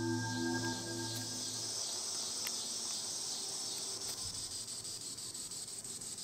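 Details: Green annual cicada, Tibicen linnei, singing in the treetops: a loud, high, hissing buzz with a steady throb, and soft musical tones fading out in the first seconds.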